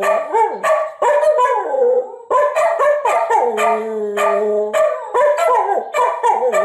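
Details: Two household dogs, Atka and Nuka, howl in reply to a recording of their own earlier howling. Layered voices yodel and waver, then one long steady howl holds for about a second while a second dog sustains a lower tone.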